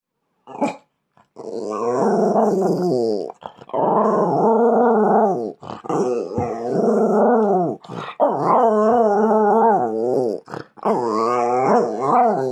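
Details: Jack Russell Terrier howling indoors, called naughty: long wavering harmonic howls in several bursts with short gaps, some dipping and rising in pitch, with brief sharp sounds between them.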